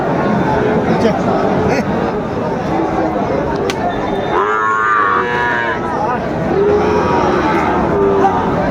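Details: Sahiwal cattle at a crowded cattle market in Bogura, Bangladesh, on 19 August 2024, where a farmer is buying a bull calf. A drawn-out, rising-then-falling harmonic moo lasts more than a second amid steady crowd chatter, with shorter lowing from other cattle.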